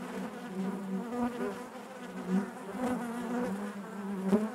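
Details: Inside a hive, honey bees produce a thick droning buzz, the pitch wobbling gently, with small surges and soft knocks from bees moving close by.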